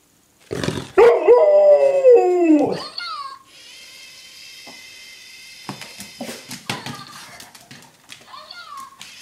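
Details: Golden retriever, a 7.5-year-old female dog, excited and worked up over a mouse indoors; a loud rising-falling whine or howl near the start, then quieter scratching, shuffling and faint yips with a steady high hiss.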